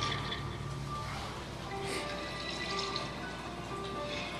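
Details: Background music mixed with a watery rushing noise, with no animal voice.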